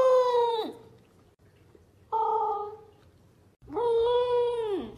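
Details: A female corgi puppy howls from happiness while eating, giving three drawn-out, tuneful howls that hold steady and then slide downward at the end.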